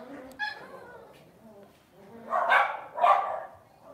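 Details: Lhasa Apso dog indoors at home: quiet murmuring in the first seconds, then two loud, rough barks about half a second apart near the end.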